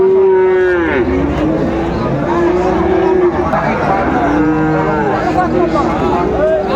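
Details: Friesian and crossbred bull calves at Raniganj cattle market, Dinajpur, Bangladesh, on 18 April 2024: long, loud, steady moos with smooth pitch bends, one after another, over a crowded market din of voices.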